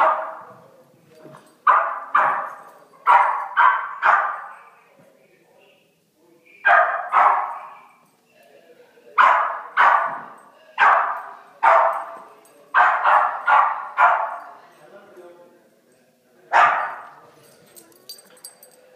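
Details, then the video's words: Puppies playing and yapping in repeated high-pitched bursts, about twenty sharp barks over nearly twenty seconds, often in clusters of two or three with brief pauses between. "Crazy puppies playing"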